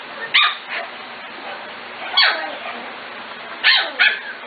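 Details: Sparse puppy barks from Corgi litters of Katie, Emma and Annie, aged five to six weeks: a few short, high yaps spaced well apart over a steady hiss of room noise.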